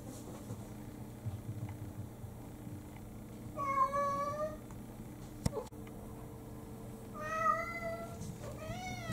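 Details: A household cat, one of several mixed-breed house cats, meowing to demand breakfast just after waking; two long level meows spaced a few seconds apart, then a short rising-falling one, over a faint indoor hum with a few clicks.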